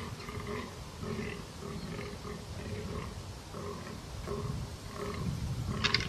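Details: Fallow deer bucks fighting give short, repeated, rough grunting calls over a low rumble of background noise.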